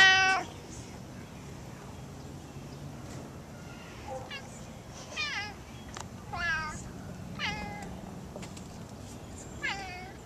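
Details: Gato, a pet cat roaming around the yard and house, gives about five short, harmonic meows: one loud at the start, then a spaced series in the second half, with soft background hiss and faint rustling.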